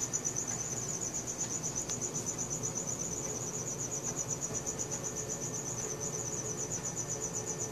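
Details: High, rapidly pulsing trill of crickets at night, steady from start to finish, recorded with a Samsung Galaxy S4, with a soft low background hum and a faint tick early on.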